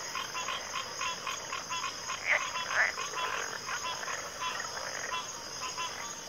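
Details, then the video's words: Chorusing frogs give quick grating croaks, about two per second, blending into a pulsing rattle beneath a steady high-pitched insect hum. "Frog Chorus"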